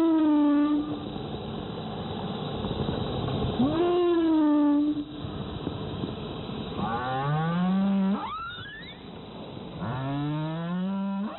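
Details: Humpback whale off Zamami Island, Okinawa, during the January–April whale-watching season, giving low, drawn-out moans and rising whoops, rich in overtones, separated by brief pauses.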